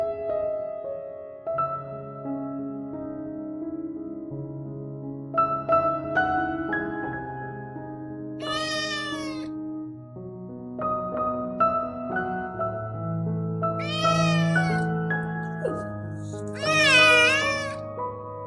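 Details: Rescued stray kitten, weak the day before and much better today, meowing loudly: three rising-falling, strongly harmonic meows near the middle and end, over steady soft piano music throughout.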